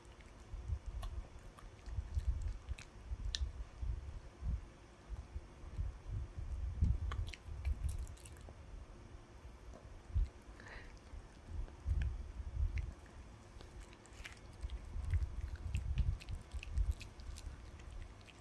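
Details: Puppy chewing a dog chew, producing steady bursts of thick, low gnawing and squishy crunching with brief pauses, sprinkled with faint clicking of teeth against the chew.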